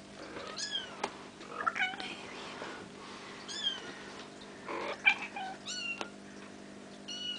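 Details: Bengal kittens almost five weeks old, playing indoors, giving repeated short high-pitched mews that rise and fall, several overlapping, with faint rustling and a steady low hum in the room.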